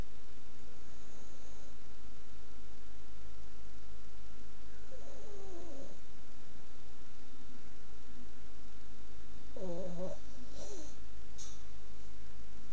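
A sleeping Boston Terrier snores with low, rumbling breaths and a brief higher snort or grunt.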